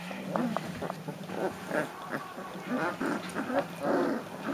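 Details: Three-week-old Leonberger puppies from Austria's litter give a run of short whimpering squeaks and soft grunts, some rising and high, clustered irregularly with brief pauses, over low room hum.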